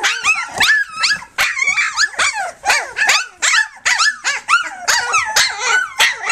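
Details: Puppies of Flute at three weeks, nursing and playing together, let out choppy high yips and whines about every half second, with pitch bending up and down within each cry.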